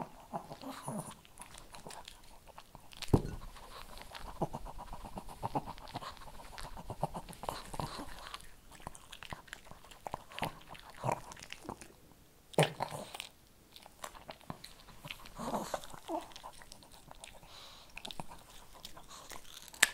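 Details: Shih Tzu eating kibble in a small indoor room, heard up close: dense runs of crunching and snapping bites, a loud crunch near the start, brief quiet pauses, then renewed chewing.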